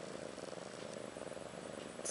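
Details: Ashley, a domestic cat about a year old, with her two newborn female kittens Maggie and Rose, born March 30th 2013; a steady, rhythmic purr throbs evenly throughout, with a faint rustle at the very end.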